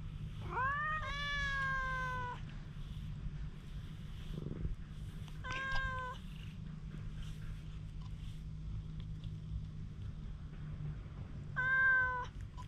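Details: Stray cat showing intense wariness, filmed with a GoPro, gives three meows: a long rising-then-falling wail, a shorter meow near six seconds, and a final one near the end, separated by quiet rustling and low hum.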